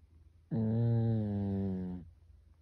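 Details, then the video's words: Pet Pekingese dog asleep indoors at home, snoring like a person: one drawn-out, low, droning snore lasting about a second and a half, buzzy with rich overtones, starting abruptly and fading at the end in a quiet room. "우리집 강아지 코고는 소리"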